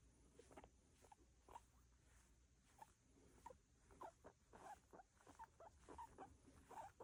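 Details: Soft, stuttering squeaks from a pet guinea pig, short clipped notes that start sparse and then bunch together toward the end, coming in irregular bursts over a quiet, slightly rustling background.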